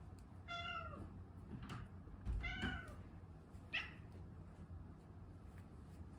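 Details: Indoor pet cat asking for food before its meal. Several clear, drawn-out meows come in succession, the first falling at its end, then shorter calls, before a quiet room.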